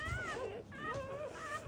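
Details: Newborn black Labrador Retriever puppy from a mother's first litter, being revived after birth; thin wavering whines glide down and level off, with faint voices underneath.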